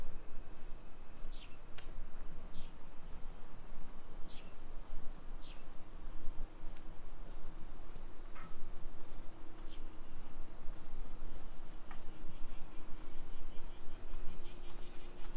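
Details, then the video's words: Cicadas droning through a summer afternoon in suburban Nisshin, about 20 km from downtown Nagoya, on 28 July 2021: a continuous piercing buzz with short chirps scattered over it and a faint low hum. "Summer Cicadas Sounds"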